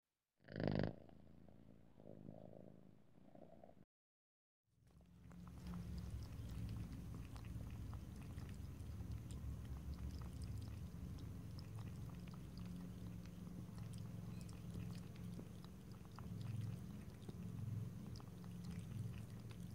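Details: Domestic cat drinking water, lapping and licking, with no talking. A louder burst and a brief silence open the clip, then soft rapid wet clicks run steadily over a constant low hum.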